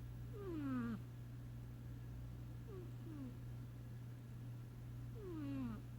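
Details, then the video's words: Sasha, a sleeping cat, snoring: a strong descending whistled breath, then two short, faint whistles, then another full falling snore, all over a low steady hum. "Sasha The Snoring Kitty"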